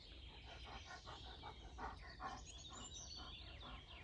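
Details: Greater Swiss Mountain Dog on a morning walk in a forest, 17 January 2016, panting in steady rhythmic breaths about two and a half per second, with high chirping birds above.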